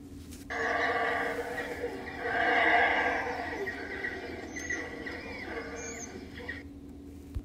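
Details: A black howler monkey (Alouatta caraya) gives its distinctive howl: a long, rough, resonant call that swells and fades over several seconds.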